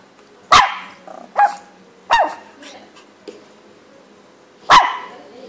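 A dog gives four sharp, sudden barks at uneven intervals, with softer yips between them.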